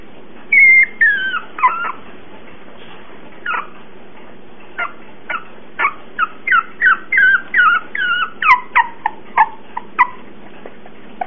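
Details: Cocker Spaniel puppy whimpering in a series of high, thin whines and yips, some rising then falling, coming in quick irregular bursts of several per second.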